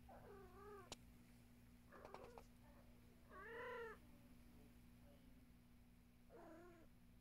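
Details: Domestic cat giving three soft, wavering meows spaced about three seconds apart, each dipping and rising in pitch, over a steady low electrical hum in a quiet room.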